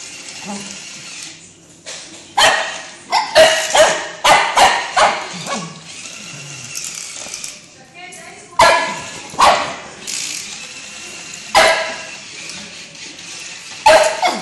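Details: Cocker Spaniel. A Cocker Spaniel lets out short, sharp barks, some in quick clusters and others spaced a second or more apart. People talk quietly between the barks.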